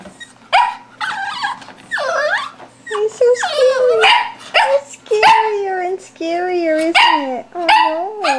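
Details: Boo, a four-month-old English Toy Spaniel puppy stuck on a chair and playing with a ball, lets out wavering, whiny yelps and squeaky whimpers in a nearly continuous string, pitch sliding and wobbling between short barks.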